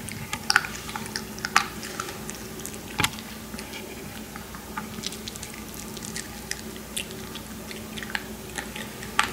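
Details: Maltese puppies eating while lying down indoors: crisp, irregular crunching and clicking bites scattered through the clip, a few sharper snaps standing out, over a steady low hum.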